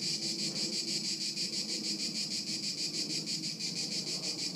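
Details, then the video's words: Crickets, Haut-de-Cagnes, 2013: a high, even chirping pulse about three times a second, dense and continuous, with a lower humming murmur in the background. "Haut de Cagnes en Grillons 2013"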